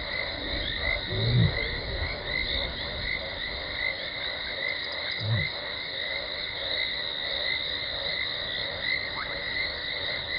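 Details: At Gowrie dam on Djuma Game Reserve, Sabi Sand Wildtuin, South Africa, 17 December 2020, lioness Talamati gives contact calls before arriving: two fairly faint low moaning grunts about four seconds apart, under a constant shrill insect or frog chorus.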